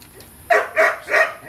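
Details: Belgian Malinois aged four months barking during feeding: three quick, loud barks roughly a third of a second apart.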